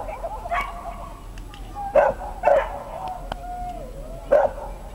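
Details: A Dachshund competing at the 2012 Römercup agility trial in Trier gives three or four clipped, mid-pitched barks spaced irregularly over a few seconds above a steady murmur of crowd noise.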